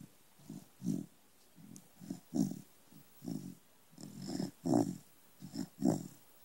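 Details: A small corgi asleep, snoring steadily. Low, throaty, rasping pulses come roughly every half second to a second, with a few stronger snorting breaths near the end, in a quiet room.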